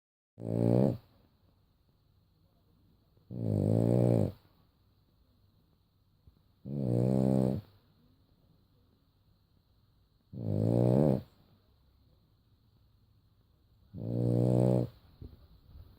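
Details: A French Bulldog (Canis familiaris) snores very loudly in deep, rattling bursts, one harsh breath about every three and a half seconds.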